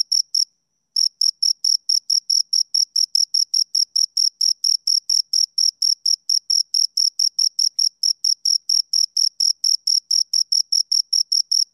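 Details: Two crickets chirping close up, a high, pure, rhythmic trill of short pulses repeated about four times a second, with a brief pause near the start and no other sounds.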